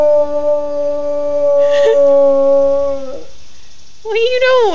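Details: A beagle, apparently sleepy at bedtime, gives a long, steady, mournful howl that wavers briefly and then rises again.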